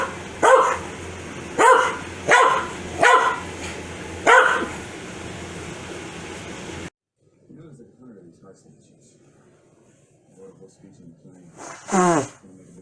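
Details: Corgi Foxy gets mad whenever someone sneezes; five harmonic barks spaced about a second apart, then near silence with faint murmuring, and a final sharp sneeze-like burst near the end.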